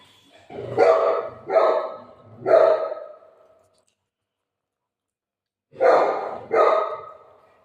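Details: Shih Tzu playing with its owner: three sharp, ringing barks about half a second apart, a pause of two seconds, then two more barks in the same bright, clipped voice, room otherwise quiet.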